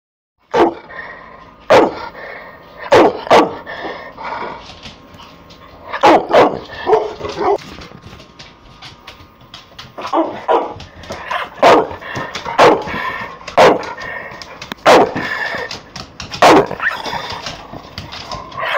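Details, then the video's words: Pit Bull snarling at the camera: harsh, explosive bursts, some in quick pairs, repeated at irregular intervals of about one to two seconds across nearly nineteen seconds, with a quieter grumbling between outbursts. "Pitbull snarling at the camera"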